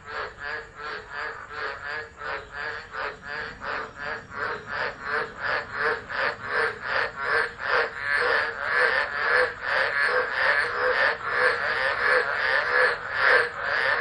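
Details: Many tropical frogs singing through a tropical storm at Driver, Northern Territory, Australia, 13 Dec 2013, phone recording; rapid harsh croaking pulses, around 146 a minute, building louder over fourteen seconds into a continuous chorus.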